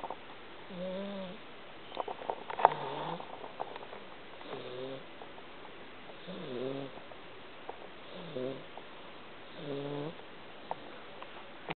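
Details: Sleeping pet cat snoring, a series of around seven low, wavering nasal breaths with harmonic overtones, roughly every one to two seconds, with faint rustles and a brief high click early on.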